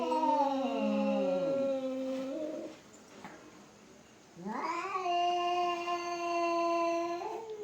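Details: Two fighting cats trade long, drawn-out yowls indoors: wavering howls that slide down, a pause, then a rising wail held steady for several seconds.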